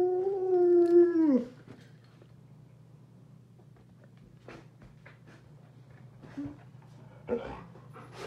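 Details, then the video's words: An Alaskan Malamute mother, kept a day away from her six-and-a-half-week-old puppies during weaning, reacts to seeing them on a computer: one drawn-out whining howl lasting over a second that drops at the end, then quiet with small indoor noises. "Alaskan Malamute Sojou Priceless Reaction To Seeing Her Puppies on Video"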